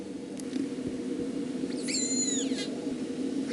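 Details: Killer whale call recorded at sea by hydrophone: a squealing, harmonic call sliding downward, part of the learned dialect of the Drkin family, which is closely related to the Moloko family.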